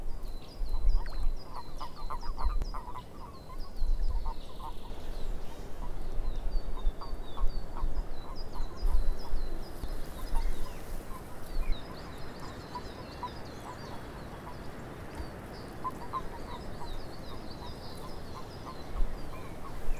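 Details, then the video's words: A long stretch of swamp frogs croaking in overlapping pulses that swell and fade, with bursts of high chirping calls and a persistent deep rumble underneath. "Frogs In The Swamp"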